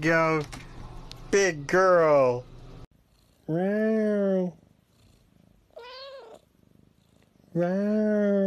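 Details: Domestic cat meowing indoors: two quick rising cries and a bent, wavering call at the start, then three long, drawn-out harmonic meows about a second each, separated by short silences.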